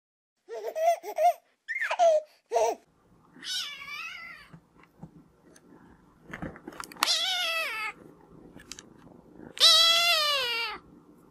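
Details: Cats and kittens meowing: a few short high kitten mews, then two longer bright meows with rising-falling pitch, amid room noise and faint human voices.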